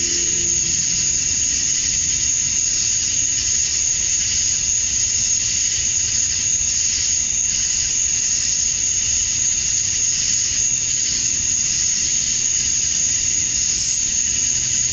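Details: Summer dusk chorus of male cicadas in Georgia, USA, calling to attract females: a continuous dense hiss-like buzz with a piercing high whine, unchanging for the whole stretch, with a brief low tone at the start.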